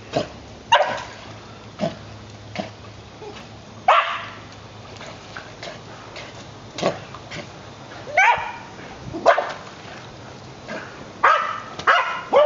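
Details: White terrier, female, five years old, swimming after a ball thrown in the water at a dog beach park on Bayou Texar, Pensacola. Short sharp barks and yips come irregularly, roughly every second or two, over splashing water and background noise.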